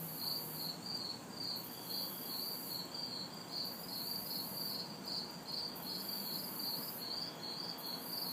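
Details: Summer night insect chorus of crickets and cicadas, recorded in a city backyard in hot, humid weather: throbbing chirp pulses with alternating shrill buzz bursts and a faint background traffic hiss.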